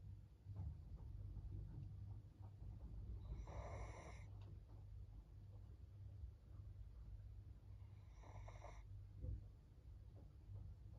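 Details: Senior fawn Pug female named Maria, aged 13, in Japan on 14 April 2024, giving two harsh, noisy snores roughly four and a half seconds apart against a constant low background hum.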